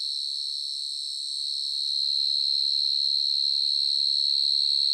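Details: A burrowing cricket, found in a garden in the evening, gives a very loud, steady, high-pitched ringing trill that grows slightly louder and never pauses.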